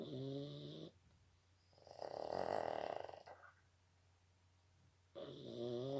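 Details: A Boston Terrier gives big snores, alternating a nasal, whistling rasp on the in-breath with a rough, fluttering exhale about every two seconds, loud and close indoors.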